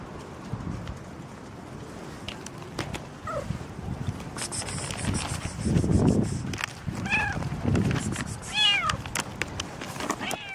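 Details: Pregnant cat after morning rain giving two short, thin meows late in the recording, partly masked by low rumbling noise and scattered clicks and rustles.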